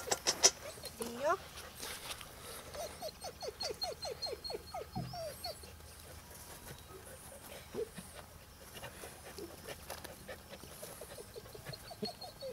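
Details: Ten-week-old Bernese Mountain Dog puppy, summer 2013, giving a quick series of short high whines in a fast run, then scattered softer whimpers, with background rustling and faint voices.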